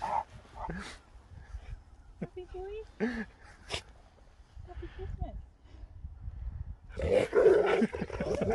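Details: Sherpa, a husky, wakes up very happy and shocked to a surprise after sleeping the whole journey, giving excited whining, howl-like vocal calls that swell near the end, among a person's greetings and chatter.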